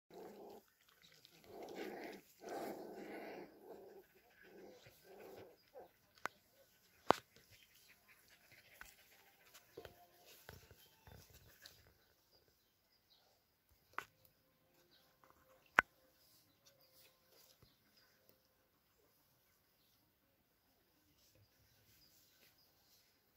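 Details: Border Collie puppies on their fourth day, outdoors being walked and fed in Kyiv, Ukraine: low grumbling growls and whimpers in the first five seconds, then near silence broken by a few sharp clicks and knocks.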